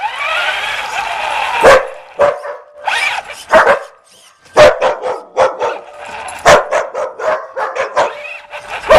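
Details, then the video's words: A puppy chasing a remote-control car: a brief whiny opening, then sharp, high yapping barks in irregular bursts, some in quick pairs and triplets, separated by short silences. "rc dog chase"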